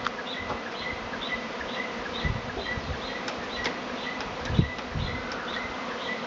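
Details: A dense hum from a honey bee swarm in Tasmania, here a week earlier than usual. The drone stays low and continuous while a bird's short chirps repeat high above it, plus a couple of soft thumps.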